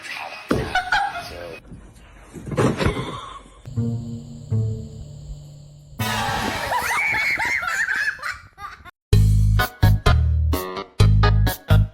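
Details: Background music mixed with bursts of laughter and snatches of speech in a small indoor room, broken by sharp, loud thumping segments near the end; no animal voice stands out.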